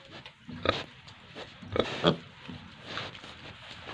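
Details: Pigs on a farm in Tripura, with short grunts and squeal-like bursts, three louder ones near the middle, among a noisy farmyard background.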